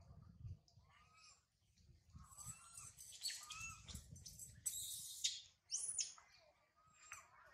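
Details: Baby monkey Sario crying loudly high in a tree after mother Sarah left her: thin rising coos near mid pitch mixed with bursts of shrill, harsh screeching squeals, with a low rumbling background.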